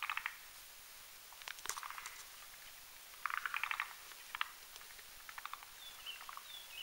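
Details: Forest green tree frogs mating in a foam nest at night above a marshy mountain pond; clustered rattling croak bursts separated by short pauses, with a few faint thin whistled notes near the end.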